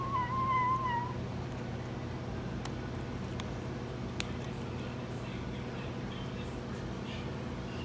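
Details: Kitten eating hard cat food gives one clear, slightly wavering mew about a second long at the start, then only low background hum with a few sharp clicks.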